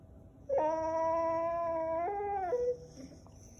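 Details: Whippet Dexter complaining, protesting the camera: one long, steady, high whine of about two seconds that steps down in pitch near its end, then a short softer tail. The room is otherwise quiet.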